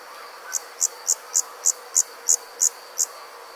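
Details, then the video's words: Rural summer night insects: nine crisp, high chirps repeated about every third of a second, evenly paced, over a continuous faint high whine and soft hiss. "Comforting Summer Insect Sounds"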